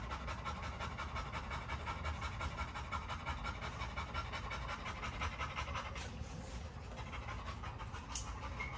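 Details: Close, heavy panting by a Great Dane, a fast even train of breathy puffs about three per second, with two brief sharp clicks near the end.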